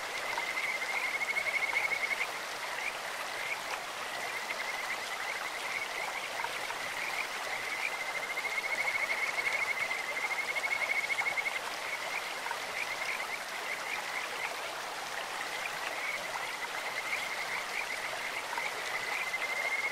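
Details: Several bouts from Kajika frogs in a clear stream, a bird-like or insect-like voice: high pulsed trills recur every few seconds, rising and fading, over a steady wash of flowing water.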